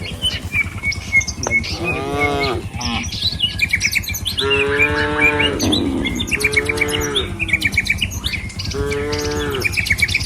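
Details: Four or more resonant moos from a herd of tame cattle heading to the pen on a village road in the morning, spaced a couple of seconds apart over continuous birdsong and a constant low rumble.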